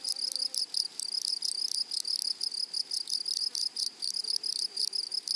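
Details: Meadow grasshoppers calling in short buzzy bursts, each a quick run of high rasping pulses separated by brief silences, several bursts per second, sharp and dry over a quiet background.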